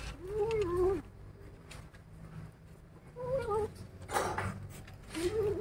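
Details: Angry kittens growling when disturbed while eating: three low, wavering, moaning growls with harmonics, each under a second long, separated by pauses, over a low background rumble. A person says a repeated word.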